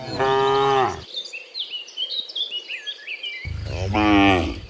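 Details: Cows returning in the morning from the field to the pen, dozens together: a full moo at the start and another near the end, with a busy chorus of chirping birds filling the gap.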